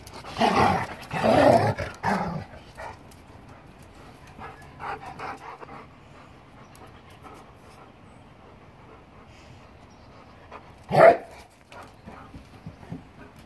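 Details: German Shepherd Boxer mix dogs at play, filmed January 26, 2021, give a burst of rough growling barks in the first two seconds, then quiet panting and scuffling, with one sharp bark near the end.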